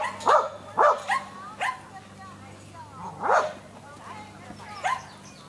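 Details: Samoyed named Irish, first time with sheep, at a herding instinct test near Berryville, Virginia, June 15, 2013, barks in short bursts, a quick pair then single yaps with pauses, over a low steady hum and some human voices.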